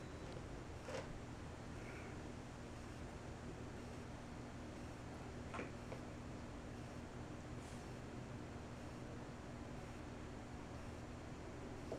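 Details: Steady indoor hum like a fan or air conditioner, with a few faint knocks and rustles and no animal voice.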